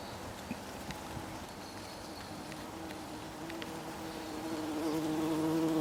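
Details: A bee pollinating a poppy flower: a steady, low droning hum with layered tones that holds through the clip and swells louder over the last second as the insect draws nearer.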